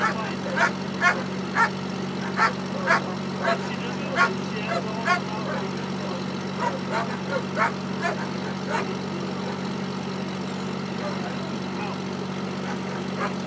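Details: German Shepherd dog barking during Schutzhund bite work at Temecula Valley Schutzhund, California. Sharp, loud barks come in an uneven series of about a dozen over the first nine seconds, then fade. A steady low mechanical hum runs throughout.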